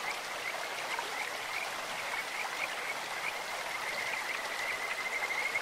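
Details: Kajika frogs by a clear stream: faint high trilled notes build toward the end, partly buried under loud, steady flowing-water noise.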